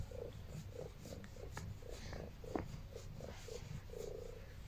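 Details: A female house cat resting on her owner after kneading gives a steady low purr, rhythmic rumbling pulses roughly twice per second, recorded up close with some light fabric rustle.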